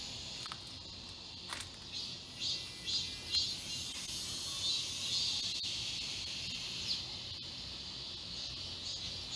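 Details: Summer cicadas in the Galsan Park forest, Seoul: a softer, uneven high-pitched buzz swelling toward the middle and fading, with scattered clicks and a few brief rasping bursts.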